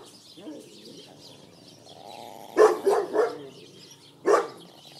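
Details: Schipperke named Flash defends his steak bone outdoors in a back yard; a person's voice is heard at the start, then a rapid run of three barks followed by one more bark a second later.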